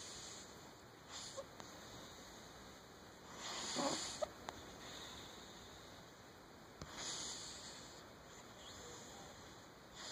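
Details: Domestic cat with sleep apnea snoring indoors, soft breathy rasping snores spaced roughly three seconds apart, each a broad hissing swell, over a steady faint background hum.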